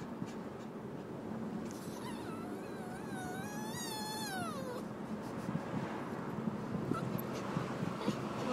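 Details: A crying dog named Mimi gives one long, wavering whine of about two and a half seconds. It rises gently, then slides downward at the end, over a steady hum of indoor background noise.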